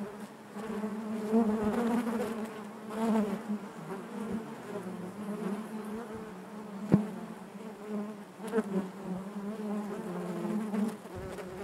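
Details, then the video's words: Honey bees humming within the hive: an unbroken buzzy drone with harmonic layers, gently pulsing in loudness, with one sharp click-like tap near seven seconds. "bees therapy hive natural buzzing sound"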